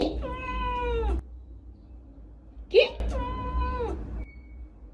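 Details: Domestic cat giving two long, drawn-out meows, each lasting over a second with a level, slightly falling tone, separated by a short pause containing a brief squeak, over a steady low hum.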